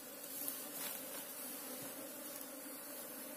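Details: Buzzing of an Asian honey bee colony nesting in a hole in the ground while being excavated: a constant layered hum at a low pitch, even in loudness, with a few faint ticks.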